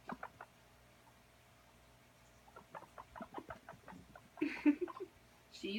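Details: Guinea pig playtime: a scurrying animal makes a string of short, dry, clucking pulses, followed by Italian speech near the end.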